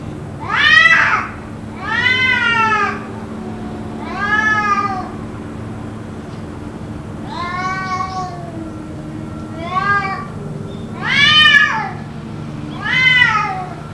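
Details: Cats caterwauling at length, possibly fighting, for around two hours: seven loud arched wails about every two seconds, each rising then dropping in a rich harmonic sweep, over a constant low hum.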